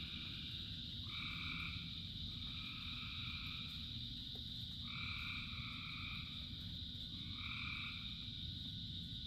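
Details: Thousands of frogs call through the rain: a constant high chorus drone, punctuated by strong vibrating two-note trills in bursts of about a second, several in close succession, beneath which rain patters as a broad low roar.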